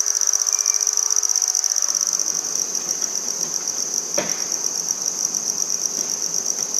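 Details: Handsome trig (red-headed bush cricket) singing in Maynard, Massachusetts on 14 September 2019: a sustained, piercing, evenly pulsed trill, with a single sharp click about two-thirds through and slight background rustle.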